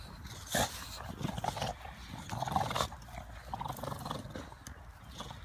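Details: English Bulldogs playing football outdoors; rough, throaty bursts of growling barks at irregular intervals, the loudest near the start and middle, over steady low wind-like rumble.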